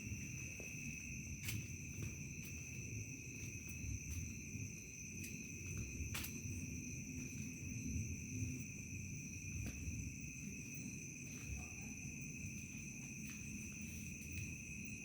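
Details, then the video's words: Night falls on a remote village as crickets sustain steady piercing high trills without pause, with a few sharp ticks and a low, even rumbling noise underneath. "SUASANA DESA MALAM HARI SUARA JANGKRIK SENJA MENJELANG MALAM"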